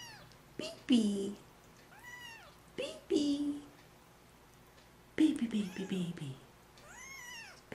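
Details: Three-week-old kittens mewing for attention: overlapping high, arched squeaky meows come in quick bursts, some short and some drawn out, while a woman talks softly to them, repeating "baby".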